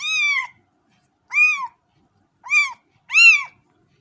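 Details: Four shrill kitten mews: a long first cry, then three shorter arched ones spaced about a second apart, with nothing else audible.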